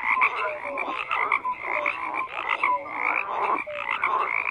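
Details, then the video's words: Several frogs croak at once, overlapping raspy calls in quick pulsing bursts, with brief tonal notes dropping in pitch scattered through the chorus. "FROGS CROAKING"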